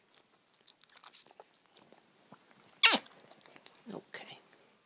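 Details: Chet Baker, a Boston terrier, gives a rattly sigh of contentment while settling for a nap indoors: a sharp broadband breathy burst, then softer rasping exhales, with quiet human murmuring around it.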